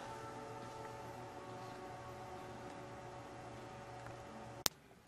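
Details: Faint indoor room tone with a low electrical hum, ending in a single sharp click.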